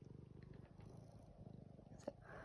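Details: Male domestic cat purring while being cuddled indoors after rain, low pulsing rumble repeated rapidly and evenly, ending with a short sharp click and a woman's voice.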